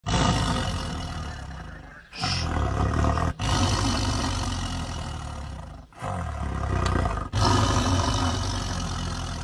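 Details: Tiger roaring in deep, rumbling, sustained bursts, the sound cut off abruptly several times, near 2, 3.4, 6 and 7.3 seconds, then resuming at full loudness.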